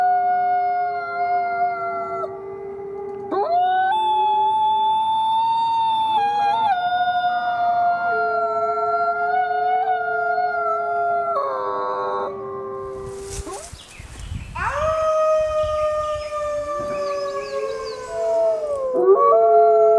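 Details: A chorus of wolves howls in layered long tones, voices shifting and sliding between pitches. A short burst of broadband noise interrupts midway, then the howls resume with several voices gliding downward.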